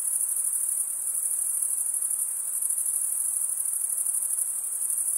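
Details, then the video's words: Stridulating crickets, chiefly males, give a constant thin high-pitched trill with slight pulsing, a uniform insect chorus without gaps or other noises. "Most relaxing cricket sound"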